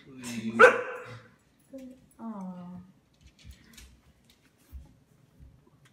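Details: Sequoia, a female pet Siberian Husky in her first year, indoors and fond of barking and play, gives one loud, sharp bark, followed by brief voiced tones, a short drawn-out sound, then near quiet.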